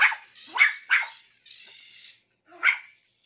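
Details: Toy Poodle barking while playing with a remote-control toy: three quick sharp barks, a brief whirring motor sound, then one more bark.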